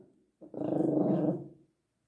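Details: A sleepy, grumpy Miniature Pinscher that wants to sleep gives a low, rumbling growl lasting over a second, swelling then fading away.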